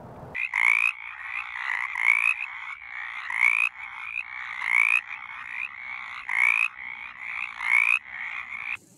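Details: Mountain chorus frogs calling from a shallow roadside ditch in Bland County, Virginia; a loud rising, creaking trill repeats about every 1.4 seconds over a dense chorus of other frogs.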